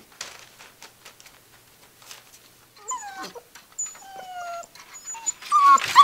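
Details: Six-week-old Gordon Setter puppies tearing up a living room indoors: soft scratching and rustling at first, then high, gliding whimpers and thin whines with clear overtones, broken by short yips that grow louder and more crowded toward the end.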